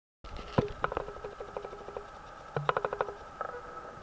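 A common frog gives soft, rapid trains of low grunting clicks, like a quiet purring croak.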